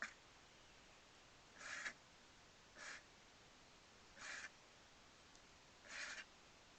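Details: Moose sneezing: four short, breathy, hissing bursts, spaced roughly one to two seconds apart, each lasting under half a second, over an otherwise quiet background.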